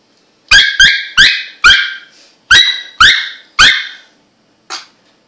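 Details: Squeaking Russian Toy Terrier indoors: seven quick, shrill squeaks like a squeaky toy, close together, followed by a pause and one fainter, shorter squeak.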